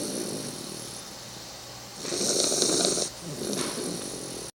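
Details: A sleeping 3-month-old female Bull Terrier puppy snores with loud, breathy rasping breaths against a soft background hiss.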